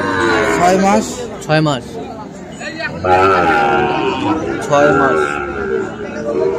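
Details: Sahiwal bull calves at the Ambari cattle market, bought by a farmer from Chittagong on 1 December; short harmonic moos rise out of steady crowd chatter and nearby men's voices.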